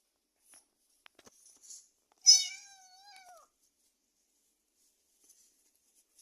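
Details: Two kittens play fighting in a box: soft rustles and small clicks, then one clear, drawn-out meow that starts bright and slides downward before fading, in a quiet room.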